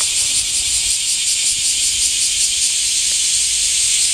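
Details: Cicadas in summer heat: a dense, unbroken high hiss fills the upper range, faintly pulsing several times a second, with a soft low rumble beneath.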